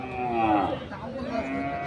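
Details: Local-breed dairy cow with calf for sale at Ranibandar cattle market, Dinajpur, Bangladesh, on 30 May 2024; a short moo that falls in pitch, with men talking and bargaining close by and crowd noise.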